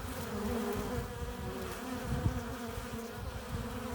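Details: Honey bee colony at its hive entrance, bees flying in carrying pollen and nectar; thick unbroken buzzing of many insects, with a single bee zipping close past the microphone midway.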